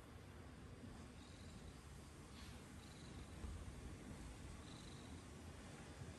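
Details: Low, even purring from a cat, a dense rumbling drone that swells slightly in the middle, with a faint soft rustle now and then.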